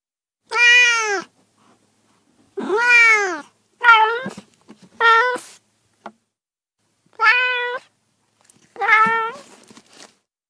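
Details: A cat repeats its meow six times with uneven spacing, some calls long and arching, others shorter and clipped, every one clear and harmonic against a silent background.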